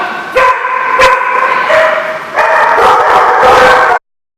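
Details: Dogs bark and yelp in a loud overlapping chorus, with sharp barks at the start and drawn-out, tonal howling cries layered over it, cut off abruptly near the end.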